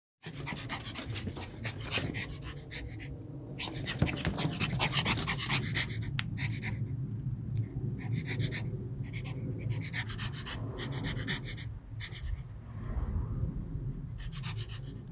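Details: Happy dog panting steadily in quick, rhythmic breaths, about four per second, with low rumbling background noise and bursts of broadband hiss.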